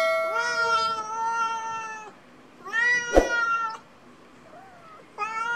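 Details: Domestic cats at lunch time, meowing: long harmonic-rich cries of about a second each, two drawn-out calls and a shorter one, with a sharp clatter in the middle and a quiet room behind.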